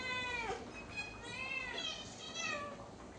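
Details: Soft, repeated meows, each sliding up and down, come from a hungry pet cat with a sore throat that keeps it from calling loudly, over a steady background hiss.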